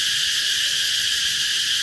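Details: A single cicada, seen in summer in Vietnam, gives a deafeningly loud, continuous high-pitched buzzing drone, steady and unbroken throughout.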